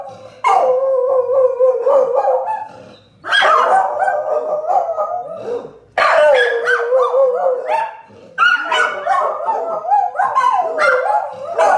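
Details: Hannah and Ollie, two pet dogs, howl at a street sweeper: three long, wavering howling bouts with yips mixed in, each lasting several seconds and separated by brief pauses.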